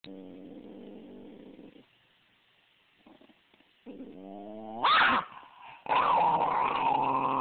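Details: A 5½-year-old female Basenji, who doesn't get along with her 2½-year-old half-brother, growls low and rumbling, then breaks into louder, higher yelping snarls.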